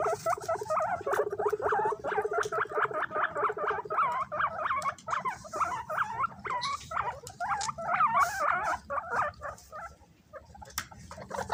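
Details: A group of guinea pigs kept as pets squabbles over bananas. There is a short low buzzing rumble, then continuous overlapping high squeals and wavering whistles packed closely together, with faint rustling behind them.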